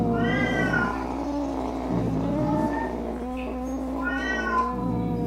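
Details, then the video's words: Angry domestic cat meant to repel rats, opossums and other cats; low, drawn-out moaning meows with faint higher wails at start and end, a constant hum underneath. "Som De Gato Miando Bravo - Ronronando Para Espantar Rato, Gabiru, Saruê e Outros Gatos"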